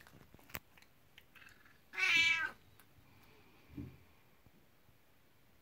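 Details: Kuku, a 19-year-old elderly pet cat, calls out at bedtime to summon her owner upstairs and welcome them into the room: a single short, bright, harmonic meow of about half a second, with faint soft thumps and clicks in a quiet indoor room.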